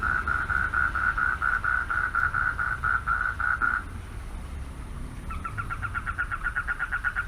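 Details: At night at a pond, a male frog calling for mates gives a steady series of mid-pitched pulsed notes, then a quicker, rattling burst of pulses.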